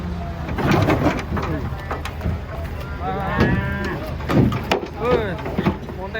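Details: Giant cattle coming down from a truck while being unloaded: short, rough lowing calls break out amid a busy mix of clattering, human voices and engine rumble, with a couple of brief rising bellows near the end.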